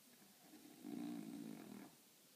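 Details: French Bulldog asleep in a funny position giving one rasping, vibrating snore lasting about a second, quiet before and after.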